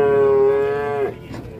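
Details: An enraged cow that broke loose gives one steady, tonal moo lasting about a second, then falls silent with faint background noise.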